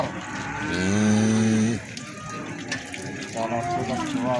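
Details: Feeder cattle at Plaosan livestock market, Magetan, Indonesia: one loud, deep, steady moo lasting about a second, then fainter higher lows later, over busy market chatter and background noise.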